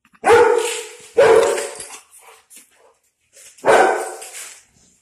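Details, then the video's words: Two pet dogs, a German Shepherd and a Pitbull, reacting to a dog outside; loud echoing barks in a small room, two in quick succession, a pause with faint scuffles, then a third bark. "German Shepherd And Pitbull Reaction To A Dog Outside"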